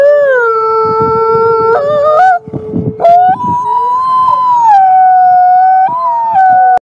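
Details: Wolf. Several wolves howl together, each holding a long, smooth, slightly wavering tone. The voices overlap at different pitches, with a few sharp breaks and rises where a new howl begins.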